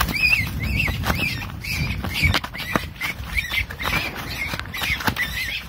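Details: Caught baby wild rabbit crying: shrill, high squealing cries with a bent, wavering pitch, repeated about twice a second in quick bursts, over rustling and handling noise.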